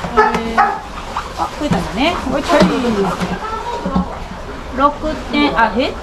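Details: A South American fur seal pup, about one month old, born 16 June 2023 at a Japanese aquarium, gives short, bleating, yelping cries while biting staff, with people talking nearby.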